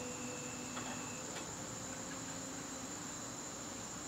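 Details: Garden crickets calling on a September evening: one continuous, thin, high trill runs unbroken, while faint tonal sounds and a single soft click drift in the background.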